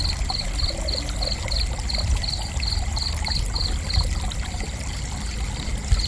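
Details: Cricket. Short, high-pitched cricket chirps repeat at an even, rapid pace, roughly three each second, through the whole stretch. A constant low rush of running water fills the background beneath them.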